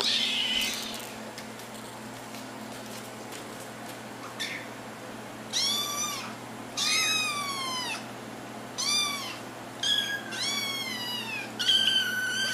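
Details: Little kittens seeking their owners' attention, giving a run of arched, high meows that come faster toward the end, over a steady low hum and some rustling at the start.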